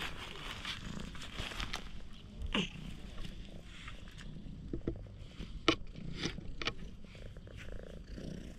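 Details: Stray cat rolling over and acting affectionate, filmed on a GoPro HERO8, purring in a low continuous rumble with scattered clicks and rustling handling noises.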